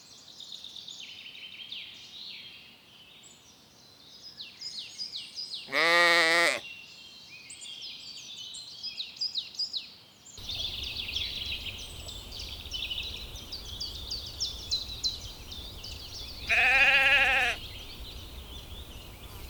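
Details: Lambs feeding in a cool green forest give two clear, shaky bleats about eleven seconds apart, each near a second long, against steady busy chirping of forest birds.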